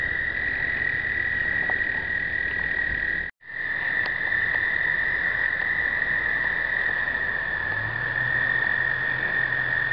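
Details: Explosive breeding of American toads, 2009: a dense, unbroken chorus of sustained high trills, briefly cut by a short gap, then resuming, with a low hum near the end; captured with a pocket point-and-shoot.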